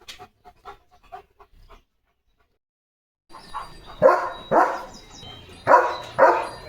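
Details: Pet German Shepherd named Leo, out in open green countryside with its owner under a cloudy, rainy-season sky, gives four loud, harsh barks in two quick pairs after a few faint soft sounds and a pause; a steady faint tone hums behind.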